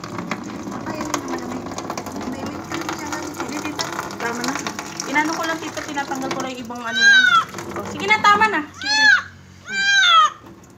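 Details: Cat protesting its first bath, with human voices talking over running water at first, then a burst of three or four loud, wavering meows near the end.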